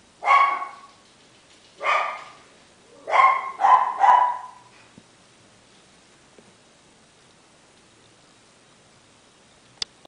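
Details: Seventeen-day-old male liver-and-tan Miniature Schnauzer puppy from a Shizuoka breeder in Japan, January 10: five high, wavering whimpers in the first four seconds, the last three close together, then quiet with one sharp click.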